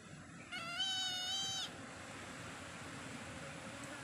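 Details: A single clear, sustained meow from a cat lasting about a second, steady in pitch with a slight waver, then only low ambient hum for the rest.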